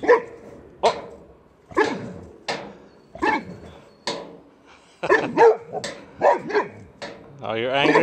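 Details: Boxer Rex, a male boxer dog from near Landskrona, Sweden, protests at the wheelbarrow holding his toy with a run of rapid, harsh barks, quickening toward the end, followed by a man's voice.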